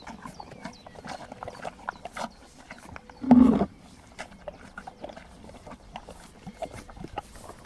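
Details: Horse among a relaxed group of horses and donkeys licking a salt block on a mountain, recorded from about 20 metres while lying on the ground; one short, loud, breathy blow lasting about a third of a second, with faint bird chirps around.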